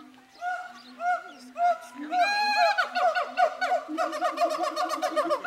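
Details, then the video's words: Zoo siamangs sing loud, rich hooting calls that rise and fall, building into a faster run of shouts as they hoot and shout at each other, excited before a zoo event. "Siamangs singing"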